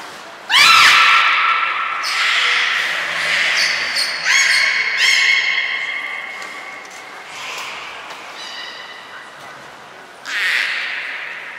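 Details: In an echoing indoor hall at Port of Nagoya Public Aquarium, 23 February 2021, captive belugas Hodoi, Taanya and Mirai during pool transfer and training give rising harmonic squeals and whistles in overlapping bouts, ending with a brief broadband burst.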